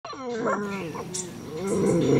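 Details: Black Belgian Shepherd Groenendael puppy, 2.5 months old, doing its usual morning talk: a drawn-out, wavering vocal growl with rising and falling harmonic bands, followed by rougher noisy grumbling toward the end.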